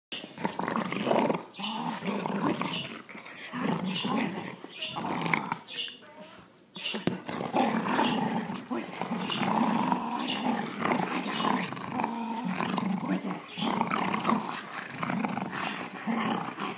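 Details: A female Boxer and American Bulldog mix wrestles with her owners over a toy, trying to act fierce; rough throaty growls and grumbles run almost continuously, mixed with human voices and scuffling.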